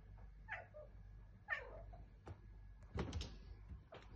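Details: A talking tomcat indoors gives two short, bent meow-like calls about a second apart, each sliding down in pitch, then falls quiet while sharp knocks and clatter sound near the end.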